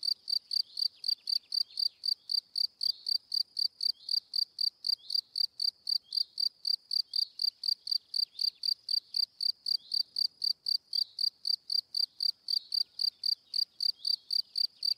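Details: Cricket chirping steadily, a high pulsed note near 4-5k repeated about four times per second without pause, each chirp a short bright burst with faint fainter chirps between; no other sounds.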